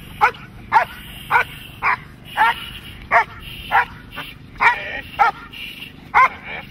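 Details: Dog in protection training barking steadily, about a dozen loud, abrupt barks roughly two per second at a fairly even pace, with a constant low rumble underneath.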